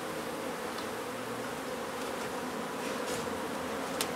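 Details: Dense, loud droning of a honey bee colony during a hive removal and relocation at an old house in Donna, Texas. The hum is thick and unbroken, with a few faint ticks on top.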